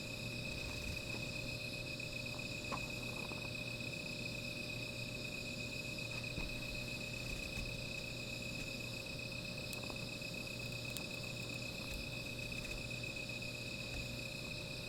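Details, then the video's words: Continuous high insect trilling on a night by a small fire, steady and unvarying, with occasional faint clicks and crackles scattered through. "Sound of Insects"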